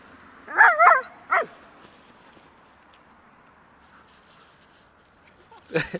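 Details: West Highland White Terrier barking while playing hide and seek alongside dogs of different sizes: three quick sharp barks close together early on, a quiet pause, then one more abrupt bark near the end.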